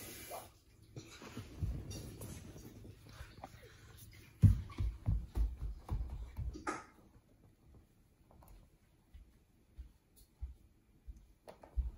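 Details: A quiet indoor room with a low steady hum, soft thumps and rustling handling noises, and a sharp knock partway through; no animal voice is heard.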